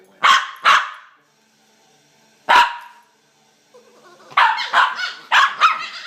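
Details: Two puppies in a play fight: two sharp barks, a pause, a single loud bark, then a rapid run of yapping, squealing barks, oddly monkey-like in tone.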